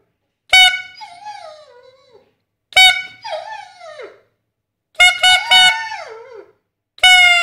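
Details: Pet dog howling in response to a whistle: four loud, steady whistle blasts, each followed by the dog's wavering howl that slides downward and fades over about a second.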